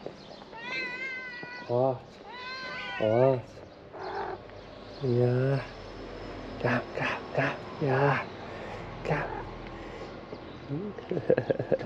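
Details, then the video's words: Hungry ginger cat that would not leave a car, meowing repeatedly: drawn-out, arched, wavering meows in a series of separate calls, with a person talking and music in the background. "The ginger cat did not leave the car and was trying to tell me that I was hungry."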